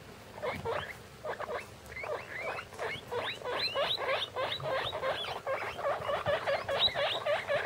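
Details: Six 15-day-old guinea pig pups, three boys and three girls of one litter, crowded in a plastic bin, give quick upswept squeaks about three or four per second, overlapping and uneven, steady chatter throughout.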